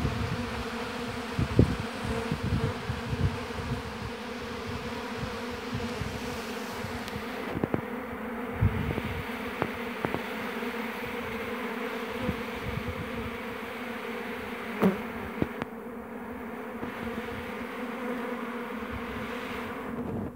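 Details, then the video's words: Honey bees at a hive in an apiary make a constant droning buzz for twenty seconds, with occasional sharp clicks and short louder swells as individual bees fly close. "Busy Bees Buzzing Sound"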